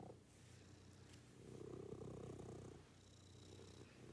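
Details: Brief low, grainy purr from a pet cat in a morning routine, one swelling breath phase in the middle.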